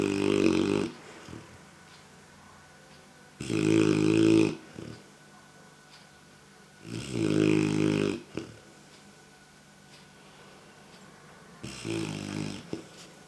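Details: Clumber Spaniel puppy snoring, tired after playing outside all morning with another dog; four loud raspy snores about every four seconds, each a broad rough burst with quiet breathing between, indoors.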